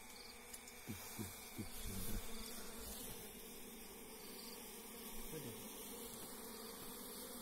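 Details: Forest honey bees humming as people take their hive by hand; a dense, even buzz runs under a few sharp taps and rustles early on.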